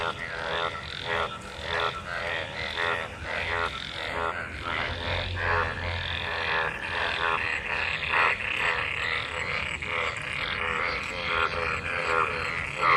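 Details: Frogs crowded into monsoon rainwater, calling as they mate. Harsh, ratcheting croaks overlap in an uneven, nonstop chorus, with bursts repeating roughly every second and a brief low hum partway through.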